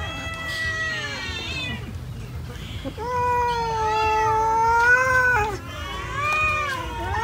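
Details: Cats eating rice meow in long, drawn-out cries, rising then falling, with a soft pause near two seconds before louder, sustained meows overlap; low background hum throughout.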